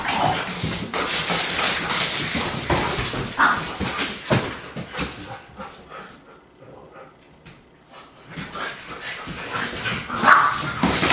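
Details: Irish Setter dog barking in quick uneven bursts, then a quiet gap of about two seconds before barking starts again, louder, toward the end.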